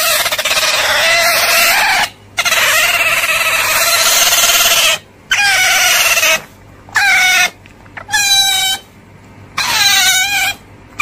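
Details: Otter screaming in long, strained squeals, then shorter bursts of bending, quavering whines with gaps of silence between them.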